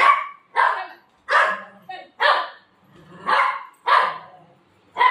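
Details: Playful pet Golden Retriever refusing to let its owner sleep in the afternoon: loud, abrupt barks at irregular intervals, roughly one per second or slower, with a human voice mixed in.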